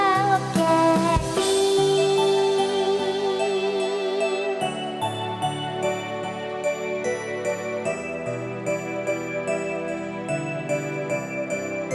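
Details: Gentle orchestral music with chimes, a sustained high tone and soft pulsing chords throughout, with no animal voice present.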